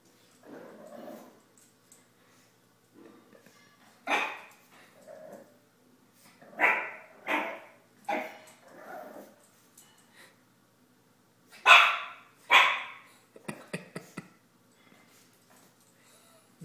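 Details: A Boston Terrier puppy, a female about 9 weeks old, gives sharp, high, yappy barks in irregular bursts with a few faint clicks while going crazy over her own reflection in a mirror.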